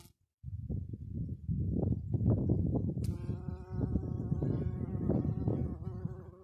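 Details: Bumblebee foraging on mahonia late in the season in cold, dry, windy weather. After a gusty opening, a steady, low, droning buzz with a rich hum holds for the last three seconds over a constant rumble of wind.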